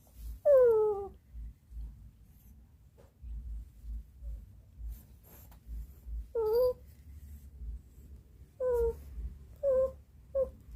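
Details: Indoors in Ubon Ratchathani, Thailand, an elderly female Shih Tzu of fourteen cries after waiting a long time: long falling whines sliding downward, separated by pauses, then a cluster of three shorter whines near the end over soft background rumble.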